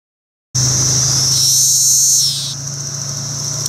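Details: Male Magicicada cassini court singing at a roadside rest stop on Route 199, Rhinebeck, New York, among many cassini and decim cicadas on low trees. A loud, high buzz rises briefly, then drops, over a steady cicada chorus and low traffic hum.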